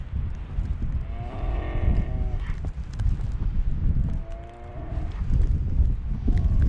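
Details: Scottish Highland cattle on a farm in Finland during the last snowstorm of winter, 21 March 2021, filmed with a GoPro; two drawn-out harmonic moos, one near the start and another after four seconds, over heavy low wind rumble.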